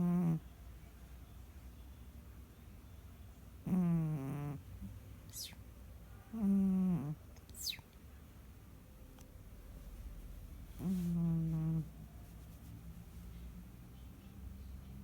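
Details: Sissi, a domestic cat, snores while sleeping: four short, low, voiced rasping snores, each under a second, come at irregular gaps of three to four seconds, with faint thin high whistles between them over a quiet indoor hiss.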